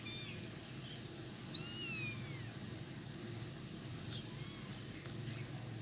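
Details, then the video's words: Kittens feeding on cat food and keeping their mother from eating give one clear, drawn-out high meow a little after the first second and a fainter one later, against a low steady hum. "Kittens making some funny sounds while eating"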